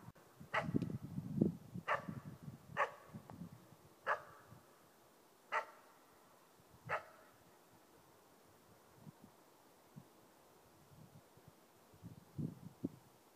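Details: Four-month-old East Siberian Laika in its first bark-baying at a moose during a hunt: six sharp, loud barks, first spaced about a second apart then slowing to gaps of over a second, with rustling and low rumbling early on.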